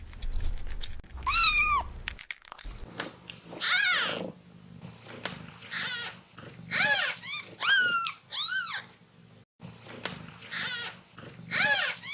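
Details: Playing kitten meowing repeatedly, short high arched cries coming about once a second, some faint and some louder, over continuous background noise and occasional knocks.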